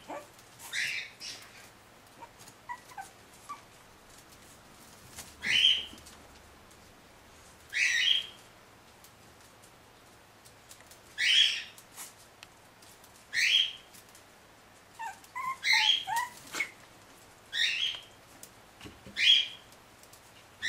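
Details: Puppies 40 days old, said to be escaping, give short high squealing whimpers, roughly eight bursts spread irregularly over twenty seconds, with a few faint softer squeaks between them and a low steady hum beneath.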